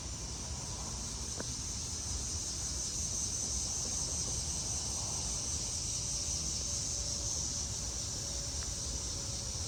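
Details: Around 8 pm on an early-August evening in Maryland, US, during humid tropical weather, cicadas ("locusts") high in the trees hiss and shimmer in a steady, high-pitched chorus without pause over low rumbling background noise.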